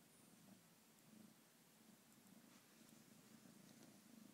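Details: Kitten's soft, low purr, a faint continuous rumble with rhythmic swells, against a hissy background and occasional light ticks.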